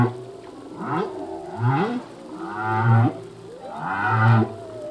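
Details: Humpback whale song by a singing male at sea: a series of low groaning units and rising swoops, several overlapping, recurring roughly every second with a steady hiss behind.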